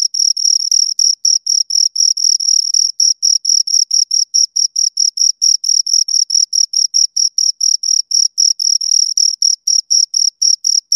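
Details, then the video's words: Two crickets chirping close up: a steady high-pitched trill of short scraping pulses, about four per second, pure and bright over complete silence, with no other sounds. "Two Crickets Chirp Sounds"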